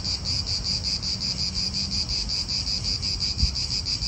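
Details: Shrill pulsing buzz of cicadas in an Italian park, beating quickly and evenly, with a soft low hum and a brief thump near the end amid wind noise.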